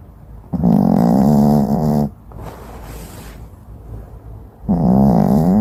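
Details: Dog snoring while asleep, two loud droning, rattly snores about three seconds apart, the first lasting roughly one and a half seconds, with soft breathy noise between them.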